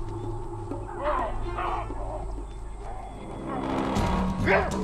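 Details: A troop of chacma baboons at a waterhole give loud, harsh barks in short bursts, mobbing a retreating cheetah to protect their young, over background music.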